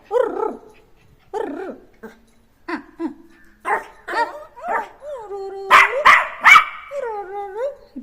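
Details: Jack Russell Terrier puppy named Neo, short-haired, playing after being let loose: a run of wavering, nasal whines and drawn-out moans, then a few sharp barks near the end, with a rising sustained whine to finish.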